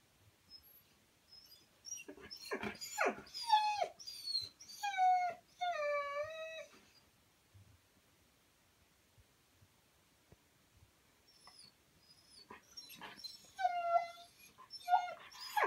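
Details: Siberian Husky giving a series of harmonic, wavering howls around the 5 to 7 second mark, after short yelping cries, then a quiet gap and further brief wavering howl notes near the end.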